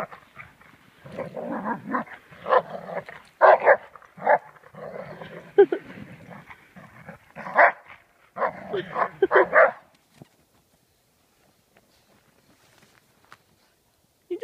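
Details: Old English Sheepdog playing in the snow at Wrightwood, California, fetching and burying a squeaky toy; a run of short, rough barks and grumbles in bursts for about ten seconds, then near silence.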